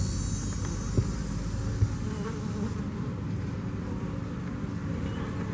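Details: Bees after Hurricane Harvey filling the air with a low, grainy buzz that holds steady, broken only by two soft thumps early on.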